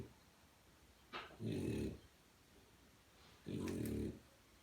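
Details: Sleeping French Bulldog puppy gives two rough, droning snores about two seconds apart. Each is preceded by a short, faint, airy intake of breath, and the room is otherwise quiet.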